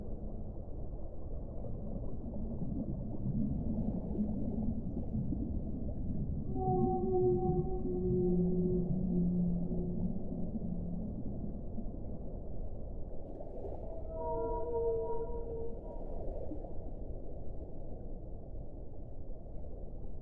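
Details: Whale song with long, mid-pitched moans near the middle, then a higher set of sustained tones, set against a constant low, dull rumble of water noise.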